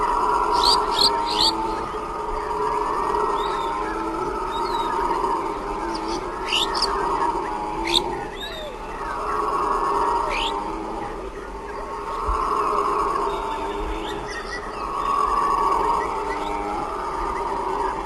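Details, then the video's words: A troop of howler monkeys near sundown roar in deep, swelling waves that rise and fade every few seconds, with birds chirping overhead. "Howler Monkeys Sound effect"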